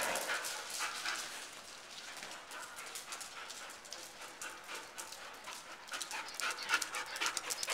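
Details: Scooby, a Chow Chow dog up for adoption, described as sweet and affectionate, pants steadily in quick, breathy, noisy puffs, roughly four per second, with soft irregular bursts and no clear voice over it.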